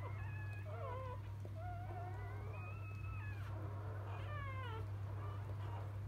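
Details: Freshly born field Labrador Retriever puppies from biscuit's litter: high thin squealing cries, long level whines and quick downward-sliding yelps from more than one pup, over an even low background hum.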